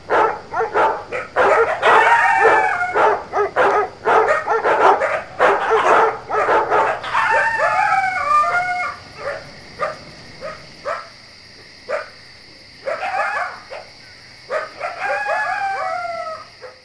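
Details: Dogs on a ranch bark in quick, overlapping bursts, then high, yipping calls sliding downward in pitch, as coyotes yip too.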